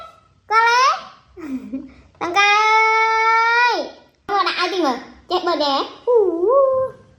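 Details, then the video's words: A baby monkey cries in drawn-out, bright, steady wails, one held nearly two seconds and then dropping, among shorter wavering cries and a few softer sounds between them. "The baby monkey crying"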